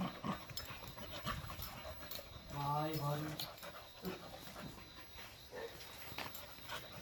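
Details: Pet dog in Iksan gives one steady, drawn-out low whine lasting about a second, with even harmonic layers, while people talk nearby outdoors and scattered knocks and rustles sound around it.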